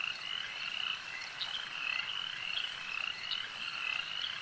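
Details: At a lake, numerous frogs keep up a steady chorus of quick, buzzy trills repeated several times a second, with a few brief sharper clicks standing out above the mass.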